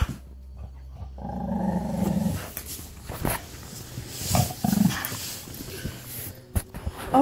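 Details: An Alaskan Malamute and a pit bull rip apart a stuffed toy rabbit. A single low, gravelly growl lasts about a second, followed by a person speaking and handling noises.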